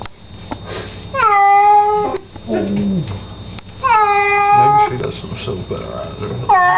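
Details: Domestic cat protesting a bath: two loud, sustained meows a couple of seconds apart, with a woman's low speech and water noise between them and a third meow starting at the end.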